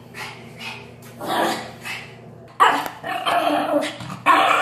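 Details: Yorkshire Terrier, a feisty little dog, just after a bath it hated; a few soft growly yaps, then two sudden loud, harsh barks near the end, each a short broadband burst.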